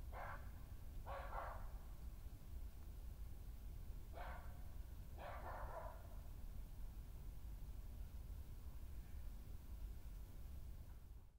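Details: Badger confrontation on 20 May 2018, senior female Hattie attacking an intruder on her patch; four harsh, crackling yelp bursts in two pairs over a constant low rumbling background.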